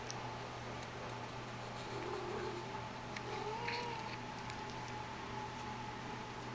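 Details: Persian kitten named Hiawatha, from the H litter, recorded indoors on 30 May 2010; soft, thin mewing rises faintly twice, near the second and third-to-fourth seconds, over a steady electrical hum and fan-like room noise.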